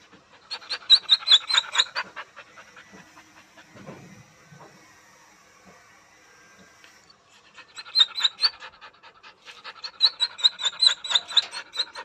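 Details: Dog whining after a sudden move to an unfamiliar environment: two bursts of rapid, squeaky, breathy pulses about two per second, with high thin whine notes inside them, separated by a quiet stretch of several seconds.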